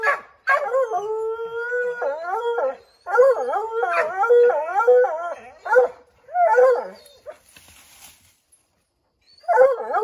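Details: Several Redbone Coonhounds baying at a chipmunk up an oak tree, a long steady howl giving way to choppy, rhythmic wavering bays in bursts, with a brief gap before another bay starts.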